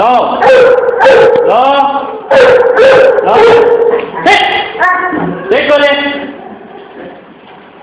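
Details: Great Dane puppy aged three months barking in quick bursts. Several calls stretch into short, even, howl-like tones before breaking off. The calls fade toward a quieter end.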